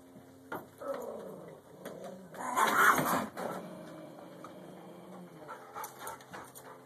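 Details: Angry dog being antagonized by another playing dog; low rumbling growls build into a loud, harsh outburst midway, then settle back into softer, intermittent growling.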